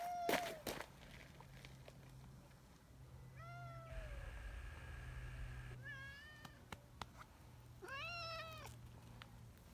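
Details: Tabby community cat Nyahha, hurrying over when left a little behind, gives a series of short rising-falling meows, four or five spread across the stretch, over a steady low hum and faint rustling.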